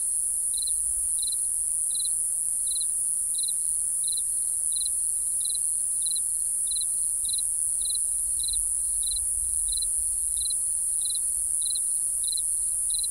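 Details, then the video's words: Steady cricket chirping at night, short trilled bursts repeated around every 0.65 seconds, set against a loud, unbroken high-pitched hum of many insects. "Real Cricket Chirping Sound | Cricket Noise"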